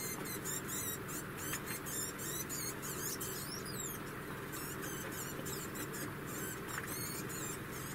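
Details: Female degu around one year old sings a steady stream of high, trilling, wavering chirps in repeated short phrases with small breaks, accompanied only by a low indoor hum.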